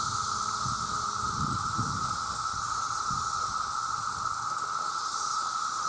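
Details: Mass chorus of male cicadas calling to attract mates, millions together and very loud: a steady, unbroken shrill drone with a sustained pure tone running beneath a high hissing band, faint low rumbling underneath throughout.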